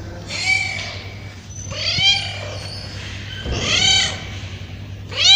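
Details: Hungry street cats, male and female, crying for food while being fed; arched, harmonic-rich meows rising and falling, about four calls spaced a second or so apart, over a steady low hum.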